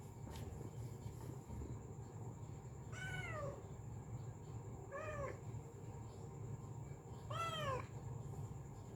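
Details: Female cat calling in a sweet voice: three arched, tonal meows spaced about two seconds apart, the last one the longest and loudest, over a continuous low rumble and a thin steady high whine.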